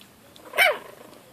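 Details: Young Yorkshire Terrier puppy from a litter born in March 2013, under ten weeks old; a single sharp, high yelp that falls quickly in pitch, over a quiet background.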